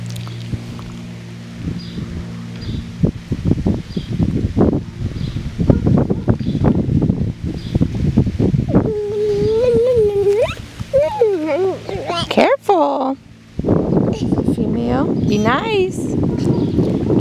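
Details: Six-week-old Lakeland Terrier puppies from the Octavia and Oscar litter, born 5/29/18: scuffling and rustling at first, then thin, wavering whines and short yelps rising and falling in pitch, with people talking quietly nearby.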